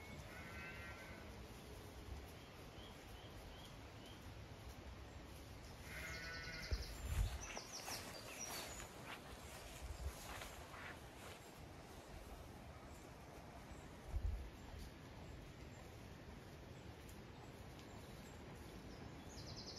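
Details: Zwartbles sheep, ewes with fast-growing lambs on a regenerative farm in County Kilkenny, Ireland, on a hot May day, some in shade, others grazing or going for water. A few harmonic bleats come near the start and around seven seconds, over steady wind noise.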